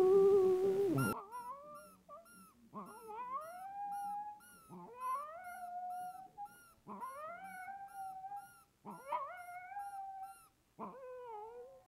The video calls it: This video hasf gone VIRAL. ITALIAN GREYHOUND MIX SINGING